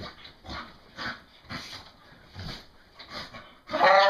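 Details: On a bed after a shower, a rowdy English Bull Terrier huffs and grunts in quick rough bursts, then ends with a sharp, tonal whine.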